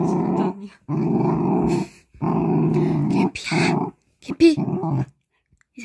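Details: A female Jindo dog, born July 2019, growls low and rumbling in long sustained bursts separated by short pauses as a stranger opens the door and enters the house.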